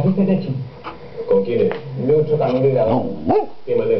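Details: Samoyed named Ivana playing on a bed indoors, giving a string of grumbling, whining vocal sounds that swoop up and down in pitch, with short breaks between bursts and a brief sharp yelp-like rise near the end.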